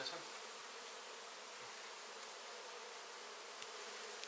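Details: Swarming hum of countless honey bees at an exposed indoor hive half set in a wall, recorded during removal. The buzzing stays level and dense, with only a couple of faint clicks.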